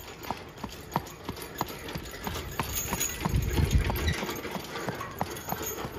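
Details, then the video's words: Hooves of a driven Friesian horse ring out as brisk, regular clops about three per second, with a deeper rumbling thud swelling briefly in the middle before the steady trot resumes. "Friesian driving"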